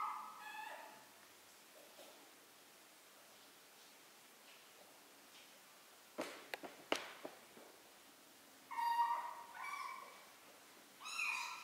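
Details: Three-week-old kittens learning to walk, meowing indoors: a few short high meows with stacked harmonics near the start and end, separated by quiet stretches and a burst of sharp clicks and knocks in the middle.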